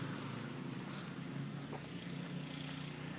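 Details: A steady low engine drone like a passing aircraft or motor hums throughout under a broad hiss, and no animal sound is heard.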